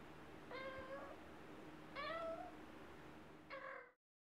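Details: A chatty pet cat indoors gives three short meows spread over about three seconds, the first two slightly rising then falling, the last brief and clipped, over a steady low room hum.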